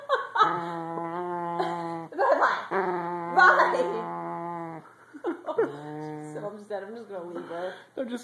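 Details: Corgi named Violet, indoors on a bed and grumbling after being told to get off, gives long drawn-out whining moans, steady and tonal, several in a row with short breaks, while a woman coaxes her and music plays faintly.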